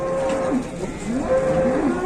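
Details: Large cattle with elephant-like legs being unloaded from a truck in Indonesia; steady tonal moos hold level then dip, two long calls across the clip with a background hum.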